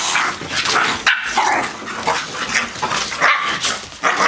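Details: Blue nose pit bull Lola at play with her 10-week-old puppies while Chihuahua Pacino joins in; short high yips and squeaky bark-like calls break out every half second or so over a steady scuffling, rustling background.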